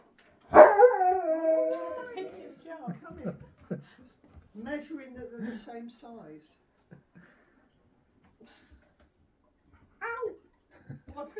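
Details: Husky welcoming his best friend to his new home; a long, wavering, harmonic 'woo' howl opens the clip and fades over about two seconds, followed by a shorter warbling vocal burst and a few brief sounds with quiet gaps between.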